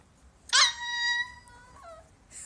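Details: A white Siberian Husky named Pink Jewelz talking to her owner indoors: a sharp yelp opens into a sustained, clear whining tone that holds steady for about a second, then slides down into a short, lower moan.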